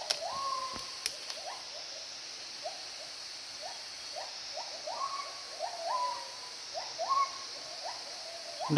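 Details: At least five or six gibbons, heard but unseen in forest on a sunny day, each with a different voice, give repeated rising, hooting notes over a steady high insect drone; they are regularly heard in this area.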